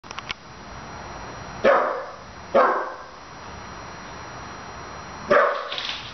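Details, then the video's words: A 15-week-old puppy barking at a stuffed toy dog indoors, annoyed by it: three sharp, separate barks spaced one to four seconds apart, with faint clicks at the start and a steady background hiss. "barking at a stuffed dog"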